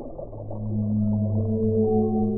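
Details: A brief, rich whale moan swelling into a steady, deep tone with overtones stacked above it, heard over a dull underwater hum.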